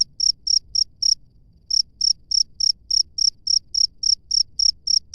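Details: Cricket in the wild producing high, crisp chirps roughly four per second, with a half-second silence early on before the rhythm picks up again; soft low noise beneath.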